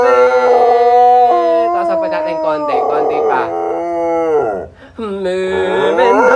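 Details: Trained singing dog howling along with its former teacher after four years without training: wavering tonal howls that step up and down in pitch, broken by short yips, with human voice and clapping mixed in.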